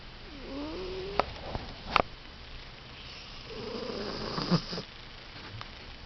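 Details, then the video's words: Sleeping cat snoring: two slow, rough breaths, each a breathy rasp with a low tonal hum underneath, separated by a quiet pause, plus a few sharp clicks in a quiet indoor space. "Snoring Cat"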